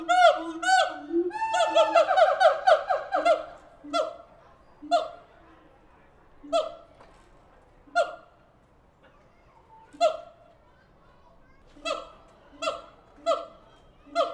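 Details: Siamang apes in their enclosure at the Tulsa Zoo: a dense, excited chorus of ringing barks at the start, then single sharp hoots spaced a second or two apart.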